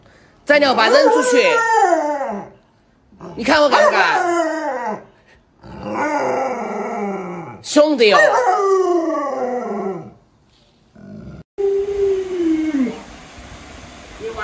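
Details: Luoluo, a pet Alaskan Malamute, reacts to its owner wearing a mask to scare it, giving several long descending howls with rich harmonics, each about two seconds, separated by short pauses, followed by a lower falling whine; human voices are also present.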